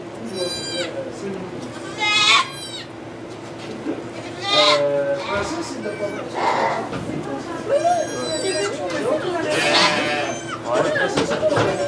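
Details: Goats at a birth of two kids inside a Quebec sugar shack, Canada, recorded on an iPod Touch 4G: repeated nasal, harmonic bleats scattered through overlapping French conversation and background murmur.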